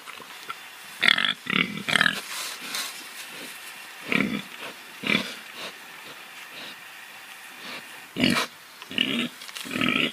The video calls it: Pig sounds, pig oinking, pig grunting